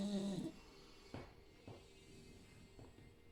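A Staffordshire Bull Terrier snores with a low, rumbling opening breath followed by soft, raspy snorts.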